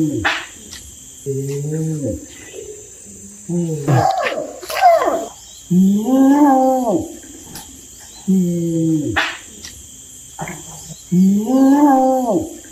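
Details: Orangutan uttering arched, moaning calls that rise and fall in pitch, repeated roughly every two seconds, with a brief harsher burst midway and a constant high background hiss.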